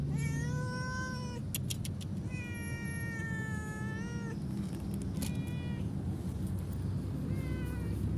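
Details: Cat thrown away beside a road where no food can be found, crying in a series of long plaintive meows, each steady then dipping, spaced a second or so apart, with clicks and low-pitched rumbling underneath.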